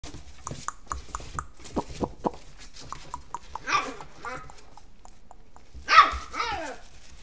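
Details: Pug giving a few short, sharp barks with falling harmonic tails, a louder one around six seconds, amid clicks, rustling and voices.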